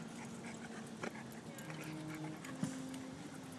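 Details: Staffordshire Bull Terrier and English Mastiff wrestling in Central Park, New York, one dog, Elvis, tiring and going down first; low, steady, droning whine-like tones with a few soft thumps and clicks over quiet background.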